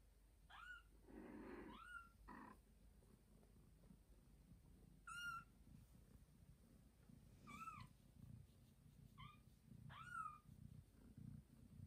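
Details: Domestic cat Joanna, a mother with two newborn kittens, meowing loudly indoors while carrying a kitten to her owners: short arched meows rising and falling, repeated every one to three seconds over a low rumbling background.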